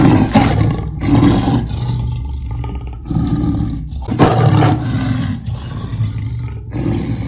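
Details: Leopard calling with deep, rough, engine-like roars in repeated bursts, each lasting about half a second to a second, separated by short pauses, with a low rumbling undertone throughout.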